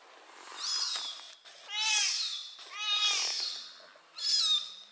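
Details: A kitten mews loudly as its mother cat brings it by mouth; four shrill, sliding cries about a second apart, each swelling then dropping in pitch, with faint rustling in between.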